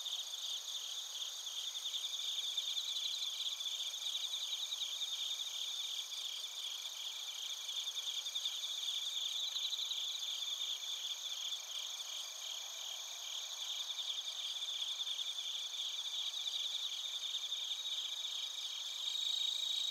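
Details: Bell crickets and crickets chirping in Narita, Chiba Prefecture, Japan, recorded on a TASCAM Portacapture X8: a dense, continuous high chorus of rapid pulsed trills and ringing tones that swell and fade slightly, with no other sounds.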